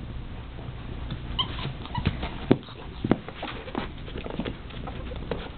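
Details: Pan, a male pet ferret, squeaks while play-wrestling with his housemate Puck, both shelter-adopted boys; brief thin squeaks come scattered between scuffling and bumping noises in a small room.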